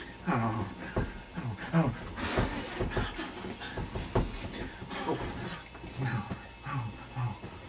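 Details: Pet puppy Indy at home, excited during play after being blown on, gives low rumbling growls mixed with panting huffs and short whiny yips, continuous and uneven, with a person's voice underneath.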